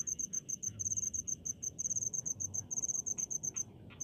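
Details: High, crisp cricket chirps from a rice field come as fast separate pulses, several per second, in irregular clusters over a low murmur.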